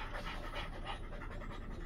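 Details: Panting during play between Freya the Blue Thai Ridgeback and her Frenchie companions, with quick, even, breathy huffs repeating several times a second and no voice over them.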